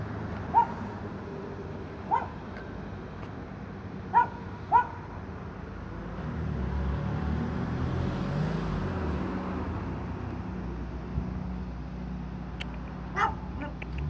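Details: Dog waiting for its owner gives short, sharp barks: single barks near the start, a quick pair, a long pause, then one more near the end. A steady rumble of vehicle traffic runs underneath throughout.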